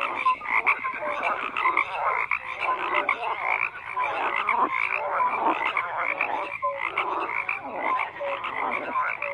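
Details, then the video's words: Many frogs croak together in a dense, steady chorus, with overlapping rasping calls and short bright notes repeating throughout; no other sounds stand out. "FROGS CROAKING"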